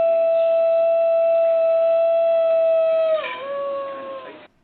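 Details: A New Guinea singing dog, a rare ancient native dog of New Guinea known for its melodious voice, gives a steady, pure, mid-pitched howl for about three seconds, then breaks downward into a lower, wavering tone before stopping.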